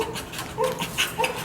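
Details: Overstimulated, highly aroused dog kept in a kennel lets out faint, thin whines: a few short high tonal notes, including one sharp higher squeak, over a hissy background.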